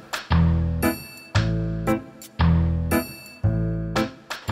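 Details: Strummed acoustic guitar chords in a steady, bouncy rhythm, with no animal sound.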